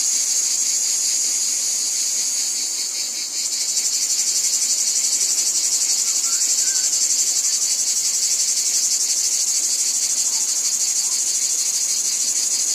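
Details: Cicadas calling in a wheat field: a dense, continuous high buzzing drone with rapid pulsing, briefly dipping near three seconds before swelling back to a steady, shimmering wall of insect sound.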